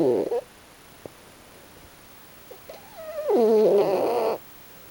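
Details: Raccoon dog Pochi asleep and snoring with a funny face. After a short snore and some faint clicks, a thin rising tone swells into a long, full, droning nasal snore of about a second.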